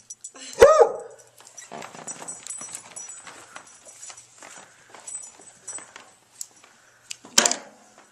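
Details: Suspicious basset hound Rusty Joe in Joliet, Illinois, distrusting the camera operator: one loud harsh bark, quiet rustling and murmuring, then a second sharp bark near the end.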